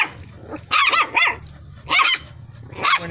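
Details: Dalmatian and Askal cross barking loudly: three harsh, drawn-out barks roughly a second apart, each breaking into rough, growly notes, with a low hum beneath.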